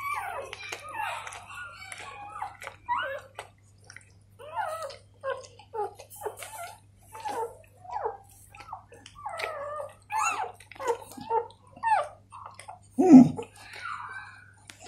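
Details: Newborn Golden Retriever puppies while their mother cleans them: a busy run of short, high squeaks and whines, many rising or bending, arriving in quick bursts about once a second, with a faint steady low hum.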